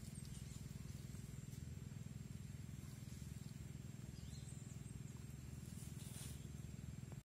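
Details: Wild boars disturbed while sleeping by Komodo dragons give a steady run of deep, rapid grunts, several each second.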